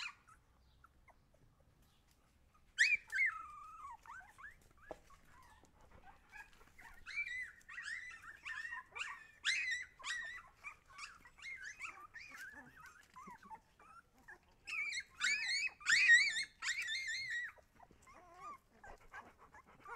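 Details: After a quiet opening, Siberian Husky puppies break into loud, high-pitched whimpering and squealing. The calls come in dense, bending runs with a louder cluster near the end before fading to softer whines.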